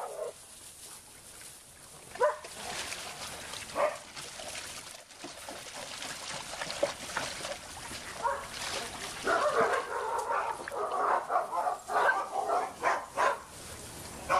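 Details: Big dogs at a pool on 6/8/11 start with scattered yips and a whine, then break into a fast, excited volley of overlapping barks. Water noise runs throughout.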